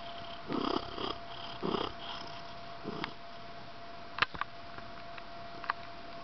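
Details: House cat indoors purring in low rumbling bursts, each about half a second long, through the first three seconds, then a few sharp clicks and rustles.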